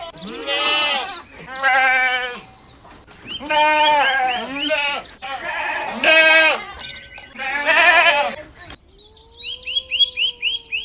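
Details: Goats grazing on grass bleat repeatedly: about six nasal, wavering bleats in close succession, some higher and tremulous, followed by a steady tone and a run of short repeated chirps at the end.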